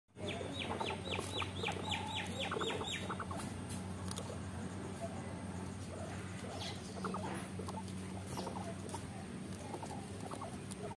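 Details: A guinea pig squeaks in a quick run of short, high, falling notes over the crunch of chewing while eating.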